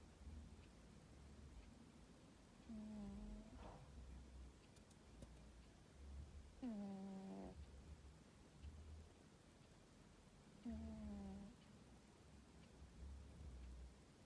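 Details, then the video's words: Tomcat sleeping in his cosy tower bed on a summer afternoon, snoring in three slow, droning breaths about every four seconds, each a short low harmonic tone, with a quiet low rumble underneath. "Blissful Tomcat has a snore"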